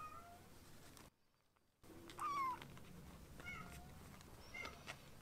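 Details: A young foster kitten, one of rescued pair Ashiro and Akuro, gives a drawn-out, slightly descending meow after a short silence. A few fainter squeaky cries follow over low household noise.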